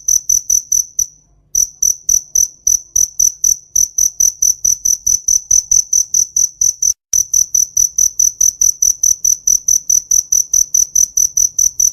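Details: A cricket in a summer field chirps steadily in short, high, pulsed bursts that repeat several times a second.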